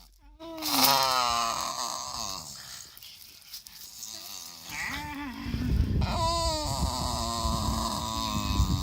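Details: A Staffordshire bull terrier indoors whines and grumbles in wavering, almost talking tones.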